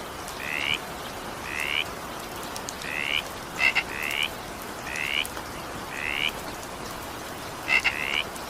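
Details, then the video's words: Frog croaking in evening rain, seven rising, slightly buzzy calls spaced about a second apart, two introduced by sharp clicking pairs, with soft rain noise filling the background. "20 minutes evening rain sound effect with frog sound."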